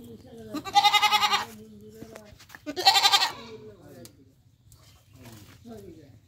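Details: Goat in Bangladesh giving two loud, harsh, quavering bleats about two seconds apart, each lasting roughly half a second, with softer murmuring calls and a steady low hum between them.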